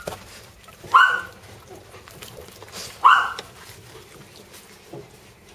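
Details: Jack Russell terrier puppies, a brother and sister, give two short, sharp, yelping barks about two seconds apart, with quiet background between them.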